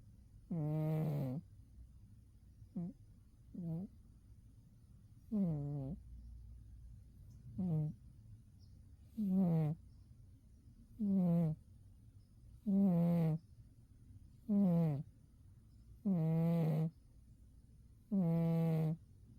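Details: Umi, a domestic cat, sleeping soundly in winter: soft, low, harmonic snores, about nine breaths in under twenty seconds, each a short nasal rasp with quiet pauses between.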